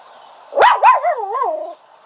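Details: A dog gives a sharp double yelp that slides into a long wavering, tremulous whine, rising and falling in pitch before fading out.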